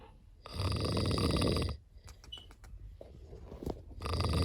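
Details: Sleeping cat snoring, one long rough rattling breath followed by a quieter gap with faint soft clicks and shuffling, then the next snore starting up.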